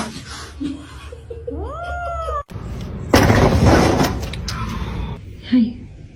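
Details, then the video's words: Domestic cat giving a single drawn-out meow that rises then falls, with laughter and loud rustling noise afterward. "cats meowing"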